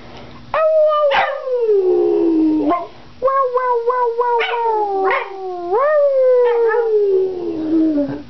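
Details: Pet Boston Terrier singing on request, giving a sequence of sustained, quavering howls that fall in pitch, with short yips and upward swoops breaking into the longer notes; no other clear sounds.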